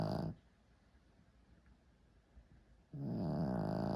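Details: Shih Tzu dog snoring: one rasping snore fades out, then a long quiet pause before the next harsh, buzzy snore begins.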